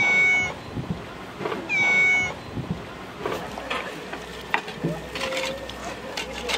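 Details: Cat on Japan's Cat Island giving two clear, tonal meows about a second and a half apart, each steady and bright, followed by scuffling noises, a low rumble and faint voices.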